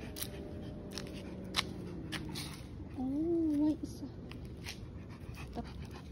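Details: Stray cat at a roadside in the evening, distressed and hissing with a second black cat nearby: one drawn-out wavering wail of under a second, rising then falling, over traffic rumble and quiet people talking.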